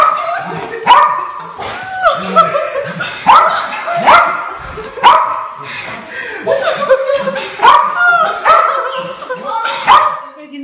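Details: Reunion with an owner after long absence: a dog whines and yelps repeatedly, each cry sliding upward, coming about once a second with brief breaths between.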